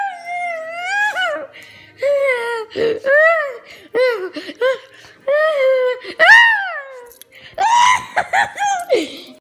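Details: A puppy playing and biting gives a run of high, arching whines and yelps, some rising and falling, others sharp and broken, with short gaps between bursts in an indoor setting.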